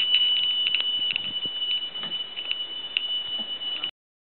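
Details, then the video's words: Tree cricket singing in dense forest, a sound compared to a holy temple bell: a continuous high, pure tone, with faint rapid ticking and brief clicks scattered through it, ending abruptly. "Tree Cricket Sound"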